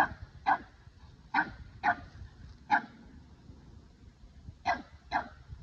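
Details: Upset Boston Terrier barks at a Keeshond that took his favorite ball: six sharp, mid-pitched barks in uneven succession, with a longer gap before the final two.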